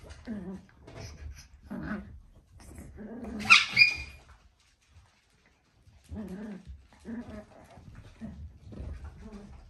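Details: Papillon dog making short, moaning, harmonic whimpers and grumbles in uneven bursts, with a sharp, bright noise near the middle followed by a brief quiet gap before the vocal bursts resume.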